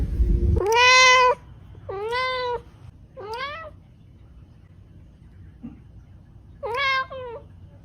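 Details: Kittens at Reebonz Cattery meowing: four clear harmonic meows, each rising then falling slightly, spaced about two seconds apart, with a brief low thump at the start and quiet room background between calls.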